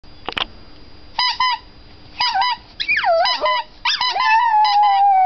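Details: A Chihuahua howls along with a squeaky "poo-poo" toy in high, wavering tones, each note sliding up and down in short bursts.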